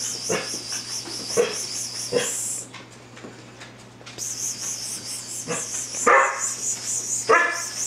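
Dalmatian puppies give short, sharp yips at irregular intervals over a steady high buzzing.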